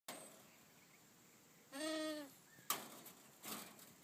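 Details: Two-month-old goat kids feeding; one short wavering bleat near the middle, followed by sharp knocks and rustling against a quiet background hiss.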